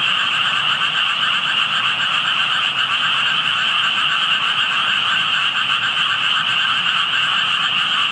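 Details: Calling frogs that stayed out of sight while only tadpoles showed, heard by someone passing; a thick, ceaseless chorus of fast, pulsing croaks, bright and buzzy on top with a trilled lower layer, steady loudness all the way.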